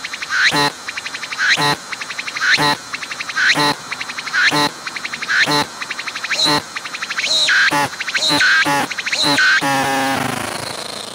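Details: Cicada calling at close range from a tree, its abdomen visibly working: about ten rhythmic rasping phrases, one per second, each a quick pulsed rattle with a click, then merging into a continuous loud buzz at the end.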